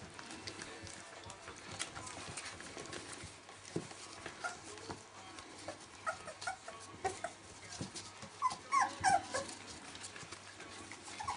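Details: Welsh Springer Spaniel puppies, 19 days old, whimpering and squeaking indoors; soft rustling and shuffling at first, then a burst of high, rising squeals near the end over faint background noise.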